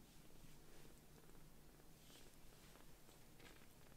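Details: Rescued foster kitten Sokkun, wearing white 'socks' on four paws, nestles on its carer's lap and purrs contentedly; a quiet, steady low rumbling purr runs throughout over soft indoor hiss and light rustling.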